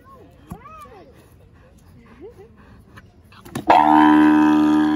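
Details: Kahlfani, a seven-year-old male Grevy's zebra at Los Angeles Zoo, lets out a sudden loud, harsh, richly harmonic bray in the final second, after several seconds of faint human voices.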